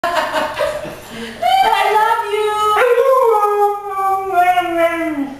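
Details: A female Siberian Husky "talking" with a long drawn-out howl that slides up, holds, then sags lower, answering a person who speaks to her at the start.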